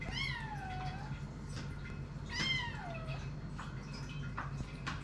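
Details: Eight-week-old kittens, very hungry, screaming for food as they wait to be served; two long, bending meows that rise then sag downward, followed by faint clicks over a low indoor hum.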